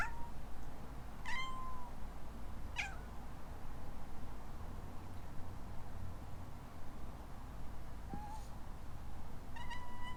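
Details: Rescue kitten in Hawaii, a playful young female named Alana, meowing in reply to her owner's sneeze; short high meows with rising-falling harmonic tones, three bursts spaced over ten seconds, faint low indoor hum beneath.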